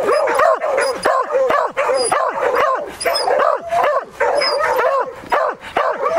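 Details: A Beagle or Beagle-Harrier gives loud, ringing bays in quick bursts, each yelp bending up and falling away, baying to hold a wild boar at bay during the hunt.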